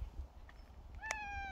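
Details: A pet cat, described as very dog-like, lets out one short meow after a quiet start. The call slides upward and then holds a steady, slightly descending tone with a brief click at its onset. Low room noise runs underneath.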